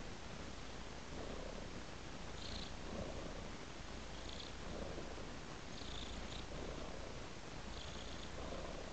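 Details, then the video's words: While following a trail of raw meat, a cat purrs in a steady low rumble that pulses rhythmically roughly every second, matching its in and out breaths. "Purring Cat Follows a Trail of Raw Meat"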